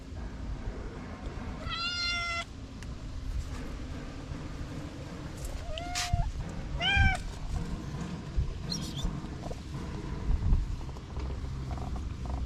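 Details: Orange male cat waking up from napping, yawning: four short meows spaced a few seconds apart, some dipping then rising in pitch, the last faint and high, against steady low-frequency background noise.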